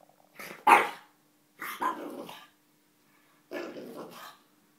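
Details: Chuck, a playful French Bulldog that barks only during play or when startled, gives three gruff, growly barks about one and a half seconds apart, the first loudest, each trailing into a rough rasp in a quiet room.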